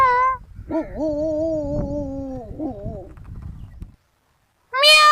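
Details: Kittens from a compilation: a long, lower, drawn-out meow bending downward over about two seconds with a soft rough background hiss, followed by a brief higher meow after a short silence.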